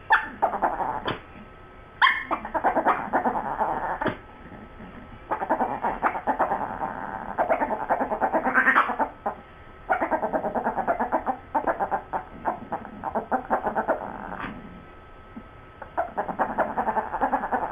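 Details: Sue Ellen and Siv, two dogs, carry on a long conversation about a bone: alternating stretches of moaning, harmonic howl-talk and quick pulsed grumbles, with short quiet gaps and a few sharp yips.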